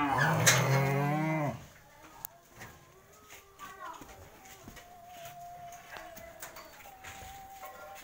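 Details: Cattle delivered for sale: a loud, low, strained moo bellows for about a second and a half, then quieter clatter, faint tonal squeaks and distant voices follow.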